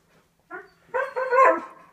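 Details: A male husky kept as a pet in a home with another dog and a cat grumbles at his owners for leaving. A soft, brief whine is followed by a drawn-out, wavering, harmonic yowl.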